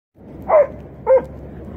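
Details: Dog on an outing by the water with friends in Quebec City, Quebec: two short, loud, tonal barks about half a second apart over a low steady background hum.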